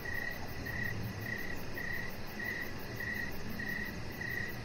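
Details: Crickets chirping in the evening beside a deck where a chihuahua puppy rests: short high pulsed chirps repeated steadily about every half second, eight in all, over a constant low rumbling background hum.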